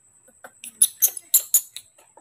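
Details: Newborn baby monkey kept in human care, calling to be given milk during feeding: shrill, very high squeaks in quick bursts, about five loud ones within two seconds, with softer squeaks between and a steady high electronic whine behind.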